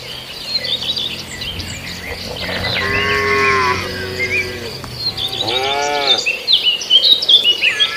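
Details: Cattle feeding on green grass give two moos: a longer, slightly rising-and-falling low call, then a shorter one a couple of seconds later. Lively birdsong and chirps fill the gaps, with a steady high insect buzz behind.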